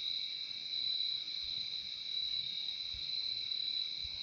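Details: Crickets singing together in a calming nature soundscape, a continuous bright, high ringing tone layered over a quieter lower band, holding steady from start to finish with no other sounds.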